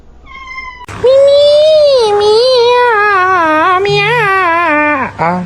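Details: Domestic cat giving a long, loud drawn-out meow that wavers up and down in pitch for about four seconds, then ends in a short falling cry; a quiet voice is heard just before.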